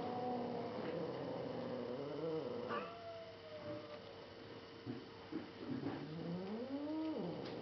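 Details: Younger female cat growling at her older black brother cat indoors; low, drawn-out wavering growls rising into a moaning howl near the end, over a steady background hum.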